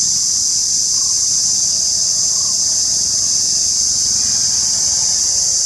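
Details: Cicada recorded in India: a loud, continuous high-pitched buzzing drone, steady and unbroken from start to end, with faint low rumble beneath.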